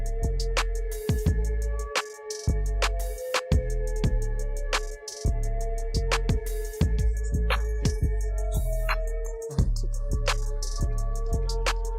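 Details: Rhythmic music with drum-machine beats and sustained synth tones fills the recording, with no animal calls audible.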